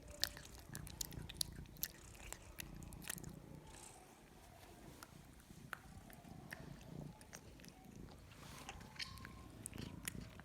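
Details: Cat chewing its food, with scattered crisp clicks and crunches over low rumbling, busier near the start and end.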